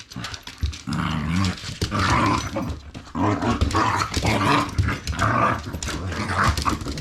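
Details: Shiba Inu indoors during a ball game, a small-mouthed dog that finds the ball hard to hold and attacks it instead; sustained rough rumbling growls in long waves over about seven seconds, with scuffling and knocks.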